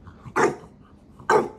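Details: Maui, a small pet dog testing its big brother's patience: two short, loud barks about a second apart over a quiet room.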